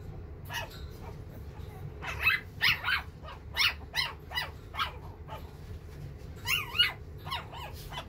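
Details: Silver-coloured male puppy, round-faced, offered by a breeder, making quick high yips and squeaky whines, some rising and falling, in an irregular series over a low steady hum.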